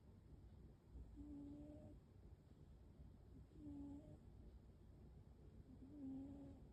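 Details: Waffle, a pet American Shorthair cat, snoring indoors: short, thin whistling tones recurring about every two and a half seconds, quiet over a low droning background.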